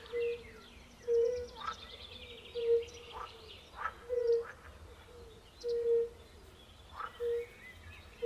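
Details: Chorus of European fire-bellied toads by a forest pond, joined by pool frogs: short, pure, low 'oop' notes roughly once a second, overlaid by buzzy, rattling croaks from the pool frogs.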